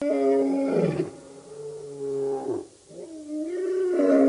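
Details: Lions of a wild male coalition at a dam in Djuma Game Reserve, Sabi Sand, South Africa, August 2016; a sustained low moaning roar that fades, then swells again after a brief pause.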